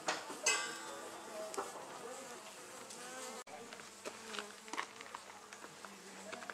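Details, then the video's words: Wild honey bee colony nesting in an old storage box at the Anson Engine Museum: a soft, steady hum of many bees with scattered faint clicks and knocks throughout. "Honey Bees at the Anson Engine Museum"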